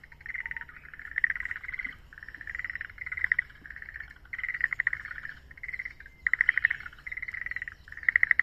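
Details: Forest green tree frogs calling at Yokohama Nature Sanctuary, Japan, near tadpoles: a steady run of short, pulsed, croaking notes in rapid bursts that overlap continuously, with outdoor background hiss.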